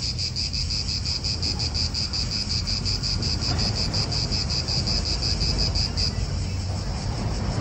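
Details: Pulsing high-pitched cicada chorus in an Italian park, loud and even for about six seconds before thinning slightly, with wind and nearby car rumble underneath.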